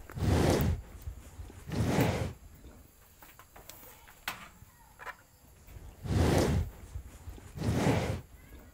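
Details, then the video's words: Cows eating grass in a cowshed: four loud, noisy bursts of munching and rustling, two close together at the start and two near the end, with faint thuds and shuffling between. "Cows Eating Grass on The Cowshed, Cows Sound ASMR"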